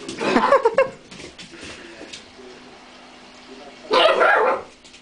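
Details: A pet dog confronting a cream pot that got the better of it gives two loud, harsh barks, one at the start and one about four seconds later, with a quiet steady hum between them.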